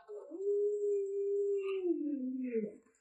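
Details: Alaskan Malamute named Lolo, a family pet indoors, giving one long, steady, mid-pitched tonal howl that holds level for over a second, then slides downward and fades, with a quiet human voice nearby.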